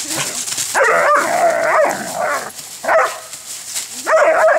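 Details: Dog wrestling in play with another dog among fallen leaves on a warm day in southwest Michigan: rough, harmonic yelping growls in bursts of about a second, pausing and resuming, with a person calling out to the dogs.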